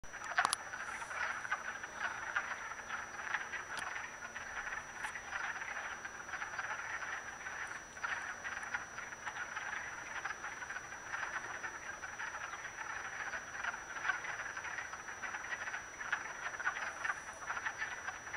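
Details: Wood frogs mating in a vernal pool in Acton, Massachusetts, on March 18, 2010: a dense chorus of many overlapping clucking, duck-like croaks, rattling continuously throughout with a few sharper clicks.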